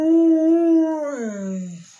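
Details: Dog's tonal howl holds level, then bends downward into a lower, fading moan over about two seconds.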